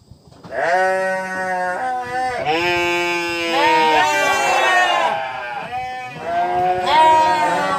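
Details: Sheep bleats follow one another almost without pause: several wavering, nasal cries of varying pitch, some overlapping, loud and harmonic-rich throughout.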